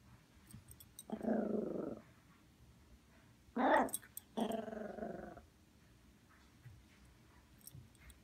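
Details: Female Poodle throwing a tantrum after waking up indoors: three low rumbling growls, the middle one rising into a brief whiny snarl, separated by quiet pauses.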